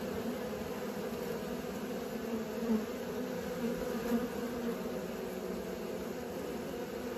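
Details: Honey bees learning to fly near their hive give a steady, droning buzz. Low humming bands hold throughout, swelling slightly in places, with no other clear sounds.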